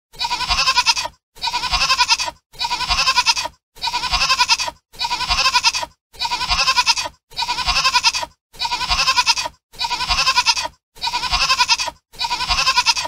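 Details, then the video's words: Goat eating grass in Sri Lanka, giving bleats: about ten near-identical one-second bleats, each harsh and breathy, repeated steadily every 1.2 seconds with short silent gaps between them. "Goat | Eat Grass | beautiful goat"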